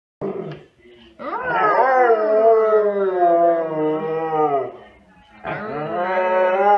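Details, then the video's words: Several Siberian Huskies vocalizing together at full effort: a short opening yelp, then a long sustained, richly harmonic howl-like cry wavering slightly in pitch for about three seconds, and another rising howl starting near the end. "シベリアン・ハスキー 犬 鳴き声 みんなで全力で吠える Funny Dog Siberian Husky Bark"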